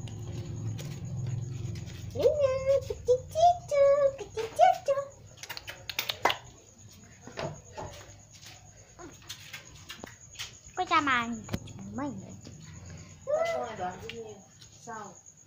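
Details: A Siberian Husky puppy playing with children gives short, high, wavering whines and yelps, some sliding sharply downward.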